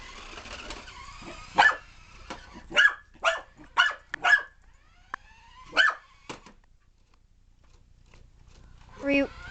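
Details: Excited puppy chasing a remote control car, giving a run of about seven short, sharp barks, some close together, then a pause and a brief tonal whine near the end.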